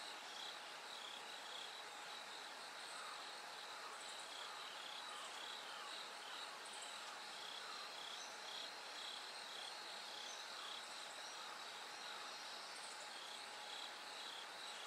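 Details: Bell cricket chorus through the night into gradual daylight, high chiming trills repeating steadily for the whole stretch, with a faint thin tone and a continuous background rush.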